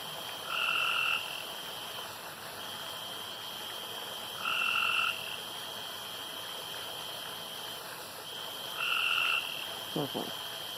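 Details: Pond at night with a frog repeating a short, level, buzzy note three times at four-second intervals against a continuous high drone; a brief low knock near the end.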